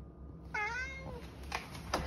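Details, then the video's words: An 11-year-old pet cat meows loudly indoors while poking in a cupboard, seemingly asking for food: a single clear meow, steady then gently falling, followed by faint clicks and rustling. "Loud meows, Eric is obviously trying to tell me something"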